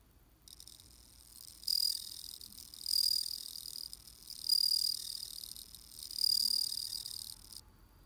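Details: Bell cricket in autumn, giving four bright, high-pitched ringing trills spaced about one and a half seconds apart over a softer continuous chirping, then falling silent; a quiet background otherwise.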